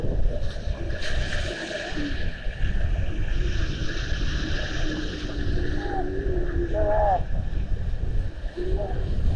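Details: Little seals watched by a fixed seal camera in Estonia on 19 February 2020; several thin, drawn-out tonal wails, some bending upward, sound in the second half, over constant low wind and water rumble.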